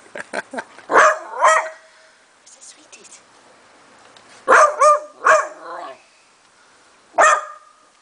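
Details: A Beagle investigating a singing treat jar at 7 in the morning gives short, harmonic baying howls in bursts while a person shushes it between them.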